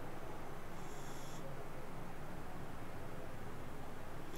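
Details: Sleeping cat purring in a steady low rumble with an even pulsing rhythm, a faint high hiss briefly audible near the start, otherwise quiet indoors.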